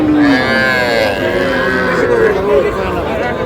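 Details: Small bull and heifer calves being sold at a Cumilla livestock market, Bangladesh, on 12 May: a loud, sustained moo with a bending pitch, other cattle lowing behind and traders talking nearby.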